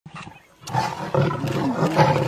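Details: Lion vocalizing while stealing a leopard's kill in Africa: a low, rough growling roar beginning after a short quiet start and holding steady, with harsh broadband texture throughout.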